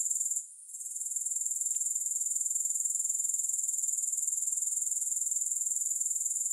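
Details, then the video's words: High, sizzling grasshopper chorus with no music. It fades for a moment near the start, then pulses on evenly at about four beats a second, with a single soft click early on. "Grass Hopper Sounds"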